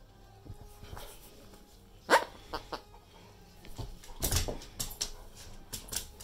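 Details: An 11.5-year-old English Springer Spaniel gives sharp, irregular barks and harsh bursts over a faint background hum.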